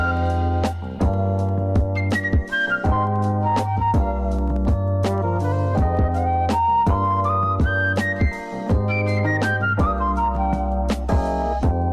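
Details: Upbeat instrumental music led by flute-like melodies over a steady bass, with no animal voice.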